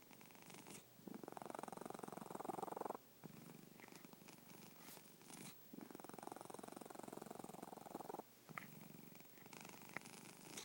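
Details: Sleeping domestic cat snoring indoors: long rasping, pulsed breaths about two seconds each, separated by short quiet pauses, in a steady in-out rhythm.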